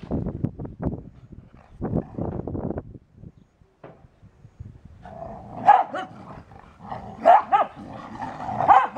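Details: Two dogs, a soggy beagle and a dry English Springer Spaniel: low rumbling growl-like bursts at first, then a quiet gap, followed by sharp, higher yipping barks in irregular clusters toward the end.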